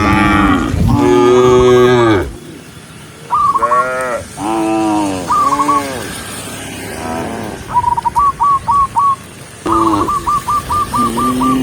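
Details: Tame cows herded along a countryside road, lowing in several deep, drawn-out moos with rich harmonics, some rising then falling. Bursts of rapid, short whistled notes repeat in quick trains near the end.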